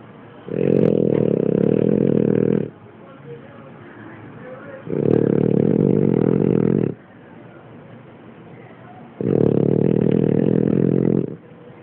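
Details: Kina, a French Bulldog, snores steadily: three long, rough, low rattling snores of about two seconds each, repeating roughly every four and a half seconds with quiet breaths between.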